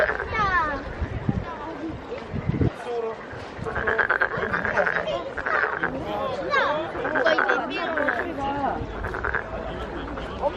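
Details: Frog calling at the Nowon lantern festival in Korea, its throat puffed as if about to burst: raspy, buzzy croaks repeated every one to two seconds over steady crowd chatter and voices.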